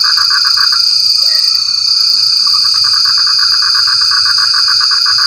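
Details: Frog calling in the rain: rapid trains of short, nasal croaking pulses, about four per second, pause briefly and then resume. A constant shrill insect drone runs high above throughout.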